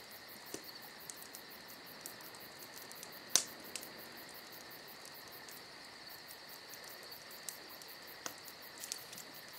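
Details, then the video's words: Crickets chirp in an even, high-pitched stream through a summer night; a crackling fire gives light ticks throughout and one sharp snap partway through. "Summer Night Crickets & Crackling Fire"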